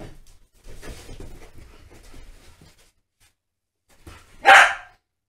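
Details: Two Staffordshire Bull Terriers, Holly and Ralph, playing together: several seconds of soft scuffling and breathy panting, then one loud, sharp, ringing bark bursts out near the end.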